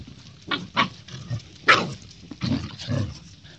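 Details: Thor, a Siberian Husky puppy, play-fighting with a golden retriever puppy: short rough yelping bursts and snarls arrive in quick spurts about every half second, separated by brief quiet gaps with low scuffling.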